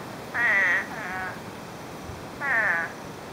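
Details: Spadefoot toads out after 9 inches of rain fell in under a day, heard through brush: two loud, harsh, wavering bleats about two seconds apart, a softer one trailing the first, with steady hiss behind.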